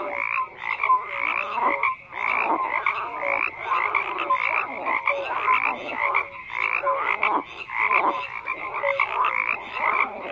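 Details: Many frogs croaking together in a thick chorus, raspy rattles mixed with brief clear tonal notes, bursts swelling and fading every second or so in a continuous layered din.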